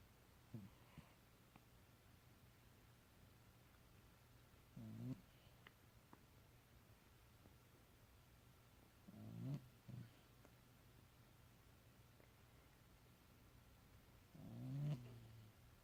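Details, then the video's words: Domestic cat snoring while asleep indoors: soft, low rumbling breaths roughly every four to five seconds, each a short burst with a faint rising catch, over a quiet steady room hum. "Cat Making Interesting Noises In His Sleep"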